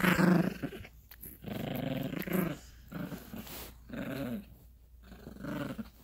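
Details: Yorkshire Terrier puppy on a bed, play-growling while tugging a dog toy with its owner: low rumbling growls in bursts of one to two seconds, separated by brief pauses, with breathing and rustling.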